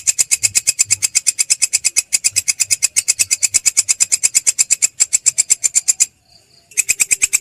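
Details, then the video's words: Rapid rattling pulses of a belalang kecek grasshopper, kept for tutoring songbirds like shrikes, shamas and leafbirds: a high, dry, chattering train that falters slightly, stops briefly near the end, then resumes. "masteran belalang kecek"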